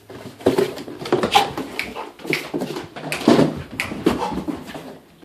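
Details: English Cream Golden Retriever dog playing with an Amazon box indoors, giving short high whimpers and whines in quick bursts, mixed with rustling, thumps and scraping of the box in a small room.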